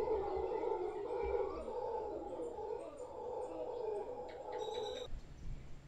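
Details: Howler monkeys, a large troop gathered in a tree beside a property in Guanacaste, roaring in a sustained, growling chorus for about five seconds before it cuts off, with faint high bird chirps overhead.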